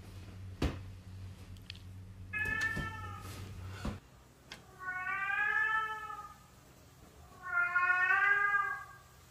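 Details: Domestic cat meowing indoors: a shorter meow, then two long drawn-out meows that rise and then fall, each lasting over a second, with clicks and handling noise early on and faint background music.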